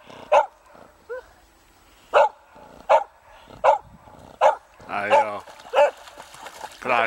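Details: A beagle barking at ducks gives six sharp, single barks at uneven intervals of roughly one to two seconds, while people talk quietly nearby.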